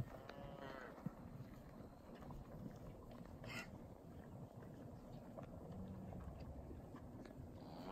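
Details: Young Angus, Charolais and Beefmaster type cow-calf pairs, cows two to six years old with first-calf heifers, kept with a Hereford bull; a short harmonic moo opens the recording and another begins at the very end, over steady low rumbling wind noise.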